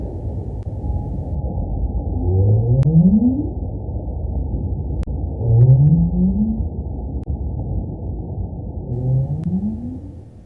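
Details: A right whale, a baleen whale that does not echolocate but sings, recorded underwater by hydrophone, gives low rising upsweep calls about a second long, repeated every few seconds.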